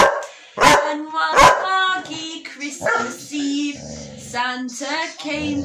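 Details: Two working Cocker Spaniels singing along to Rudolph the Red Nosed Reindeer before Christmas: two sharp barks, then wavering drawn-out howling tones and yips over the music.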